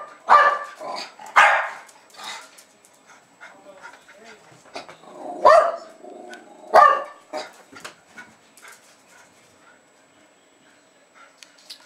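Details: Jasper and Jaclyn, two Jack Russell Terriers about two and a half years old, bark excitedly to welcome a woman home in Lenexa, Kansas, on 15 February 2010. Scattered loud yappy barks stand apart with quieter gaps, and faint household sounds lie beneath.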